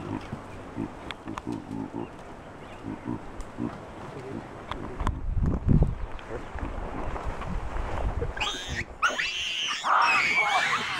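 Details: Wild, habituated troop of chacma baboons in South Africa's Soutpansberg mountains, several screaming in alarm at a rock python wrapped around a juvenile; after a low rumbling, noisy start, loud harsh harmonic screams burst out in the final three seconds.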